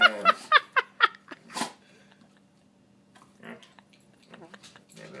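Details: A dog making strange noises indoors: a rapid run of short harmonic yelps, about four per second for a second and a half, then softer scattered grunting and whining sounds.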